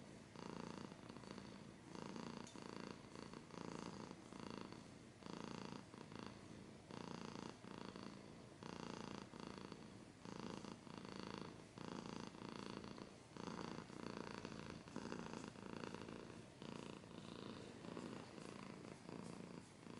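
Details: Close-up purring of a pet cat, a steady low rumble rising and falling in regular breaths over twenty seconds, with light scratching.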